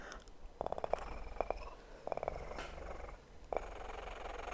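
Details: Kitten purr recorded for ASMR, a soft continuous rumble broken by short bursts of rapid pulsing, with sharp clicks and tapping sounds scattered between them.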